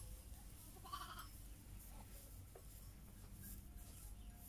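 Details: Heidschnucke sheep with their lambs: one short harmonic bleat about a second in, then only low rumbling background and a few faint clicks.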